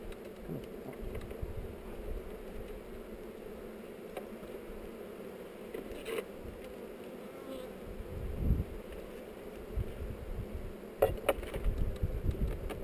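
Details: Hive inspection among honey bees on heather, recorded on a GoPro: a thick droning hum of many bees that swells and dips, broken by low thumps and clicks from handling the hive.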